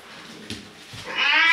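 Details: Bathed house cat letting out the start of a high, strained meow at the end, after a couple of dull thumps in a small tiled room.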